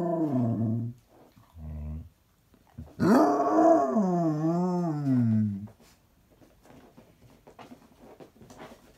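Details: Basset Hound making low grumbling moans, then a long, loud quavering howl of nearly three seconds with a wobbling pitch, fading into quiet breathy sounds.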